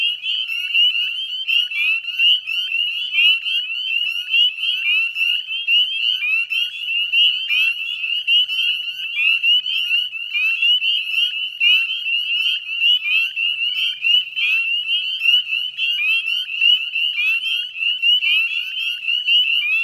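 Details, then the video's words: Dusk chorus of northern spring peepers beside the salt marsh at West Chezzetcook, Nova Scotia, Canada, mid-May 2020: relentless shrill high-pitched peeping from a crowd of frogs, notes blurring into one unbroken ringing drone. "Northern Spring Peeper Chorus"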